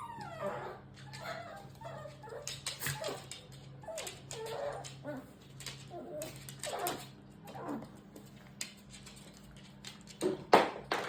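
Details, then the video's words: Shiba Inu making strange squealing vocalizations, the way these dogs talk to their mothers from puppyhood: a jumble of whiny, warbling yelps and squeals with varied rising and falling pitch, ending in a louder sharp cry. "Shiba-inu and their strange sounds. They talk like this to their mothers from childhood."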